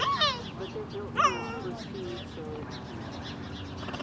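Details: Captive cheetah at San Diego Zoo Safari Park, 11.17.21, answering a lion's roar with stutter-barks, given when searching for cubs: two bright, downward-sweeping chirps a second apart, then quieter murmuring voices.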